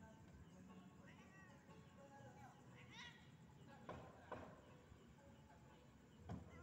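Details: Domestic cat calling a rival, with short rising and falling meows around one to three seconds, then sharp louder cries near four and six seconds, over a steady low hum and faint background voices.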